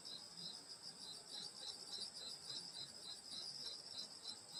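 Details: Night chorus of grass insects around a countryside grandmother's house in summer: layered high, unbroken shrilling plus a quick regular beat of pulsed chirps, about three pulses each second.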